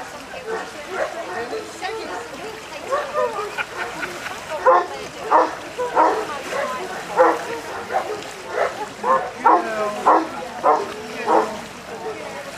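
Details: Newfoundland dog Layla during the five-exercise section B water test at Lake Bala, Wales, swimming against a strong drift; loud, harmonic barks repeat roughly every 0.7 seconds in the second half, with human voices throughout.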